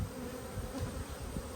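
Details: Honey bees on an open hive during an inspection on 19/3/22, with old drones and newly emerged bees on the comb; a low, steady, droning hum runs unbroken for under two seconds, with soft handling rustle beneath it.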